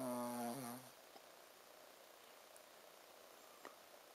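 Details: Ponzu, a Shih Tzu dog, snoring while asleep: one short, nasal, buzzing snore with a low tonal hum at the start, followed by quiet room hiss.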